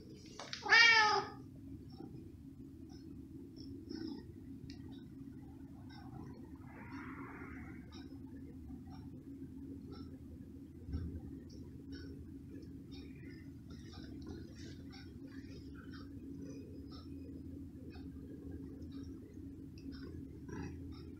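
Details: Pet cat being fed small pieces of cooked pork ham: one short rising-falling meow near the start, then a long stretch of steady low room hum with faint clicks and soft rustling.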